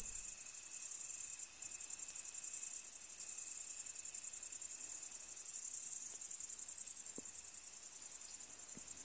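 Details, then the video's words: A dense chorus of crickets in a field gives a continuous high, shimmering trill with a faint steady tone beneath. "Field of Chirping Crickets - Audiomonkery Sound Effect"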